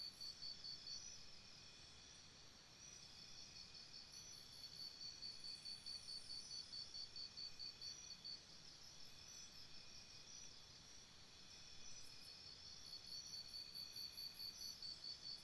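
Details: At night by a campsite, many crickets chirp in a dense high trill, pulsing in regular bursts that swell and fade in waves, with faint higher buzzing and a soft hiss.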